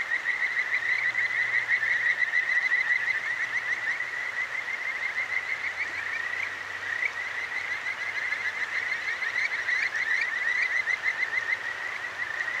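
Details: Night chorus of Kajika frogs at the Akigawa Valley gorge in Tokyo, captured with a ZOOM H6 recorder: many high, piping trills repeat several times a second and blend together, with flowing river water beneath and a faint low hum.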